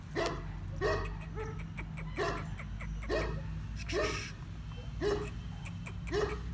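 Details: Large female Bully Kutta from Pakistan barking repeatedly, deep throaty woofs roughly once a second, some doubled, with faint clicking and a constant low hum behind.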